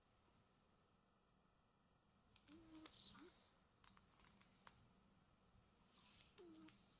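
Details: Domestic cats sleeping peacefully indoors at home, snoring softly: airy breaths every second or two, some carrying a brief low whistled tone, over quiet room hiss with no talking.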